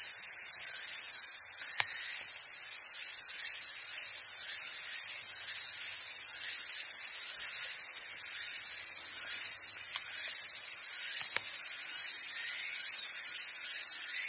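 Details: Cicadas sing in summer at a wild Japanese macaque feeding site on Awaji Island, Japan: a constant shrill, hissing wall of sound, with soft rising squeaks repeating in the background and a couple of sharp clicks.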